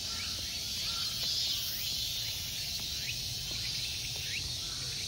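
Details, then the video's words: Summertime insects at a Tokyo temple park, Ikegami Honmonji, Japan, keep up an unbroken high, hissing buzz, with only faint scattered bird notes beneath it. "Summer insect sounds."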